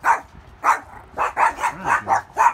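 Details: Several overprotective Yorkshire Terriers give a rapid series of sharp, high-pitched yappy barks, complaining at chainsaw noise while trees and limbs from storm debris are cleared behind the house.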